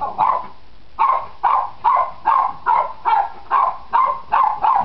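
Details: Cairn Terrier puppies nine weeks old bark during play, a regular run of eleven high, clipped yaps spaced about half a second apart, clean and close.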